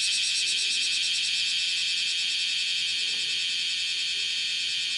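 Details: Bear cicada, Cryptotympana facialis, walking on a window screen and shrilling, morning of 31 July 2018; a continuous dense high buzz, faintly pulsed early on, holding a steady level throughout.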